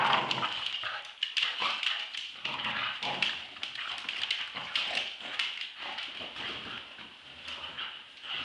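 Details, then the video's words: Roxy, a two-year-old Staffordshire Bull Terrier, and Ralph, eight months old, play-fight over a tug toy. Snarling growls pour out in rapid, uneven bursts with brief whiny squeaks between them. "dog fight tug of war round 2"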